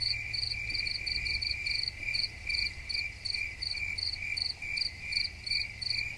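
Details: High, ringing cricket trill held throughout, punctuated by rhythmic bursts of rapid chirps in loud and quieter waves, with a faint deep hum underneath.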